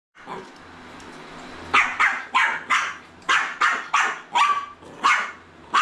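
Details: Jack Russell Terrier puppy meeting a Roomba robot vacuum, a low mechanical hum at first, then a run of sharp, high yappy barks about every third of a second over the machine's drone.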